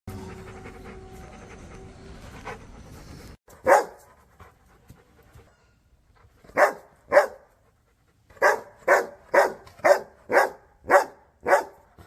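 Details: Rottweiler barking toward the camera: after about three seconds of low background hum, sharp loud barks come singly, then in a quick run of about seven barks near the end.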